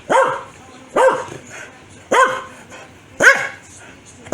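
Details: Angry barking by Foxy, a Corgi provoked by sneezing: four evenly spaced, punchy barks roughly one second apart over a quiet background.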